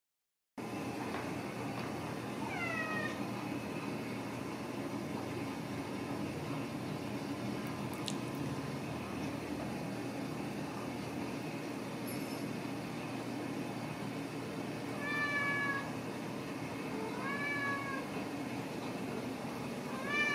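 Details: Ragdoll kittens raised indoors at a home cattery in central Kansas, giving high, thin meows that slide downward, a few scattered near the start and a cluster toward the end, over a steady low household hum.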